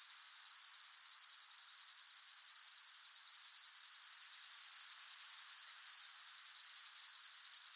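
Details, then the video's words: Layered cricket chorus from a hot summer meadow: shrill, evenly throbbing trill, pulses about three per second, constant level with no other sounds. "Sound of Crickets in a Hot Meadow"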